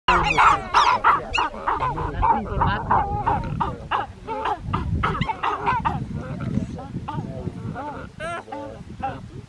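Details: Geladas in Simien Mountains National Park, Ethiopia, give a rapid run of nasal, wobbling calls that rise and fall like chattering voices; one male makes a mouth-flap expression at another, possibly aggression or a warning.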